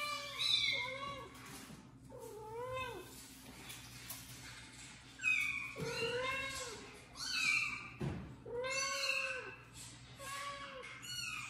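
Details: Domestic kittens meowing in a recording played on a phone for a mother cat indoors; repeated rising-then-falling meows about every second, high and plaintive, with a low background hum.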